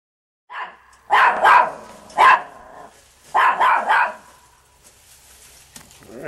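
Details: Chihuahua named Lucky Pierre, a pet dog that climbs over backyard fences, with a short run of sharp, high barks in two bursts of two to three yaps each, then a quiet tail of faint rustling.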